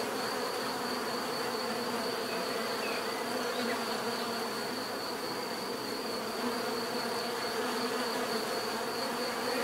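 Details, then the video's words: Many bees buzz without pause, a thick, even drone with stacked low tones and a faint high-pitched line running through the whole stretch. "bees therapy relaxing natural buzzing sound"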